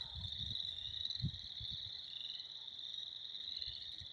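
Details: Spring chorus of frogs, a continuous shrill trilling drone from many animals, over low thuds and rustling near the recorder.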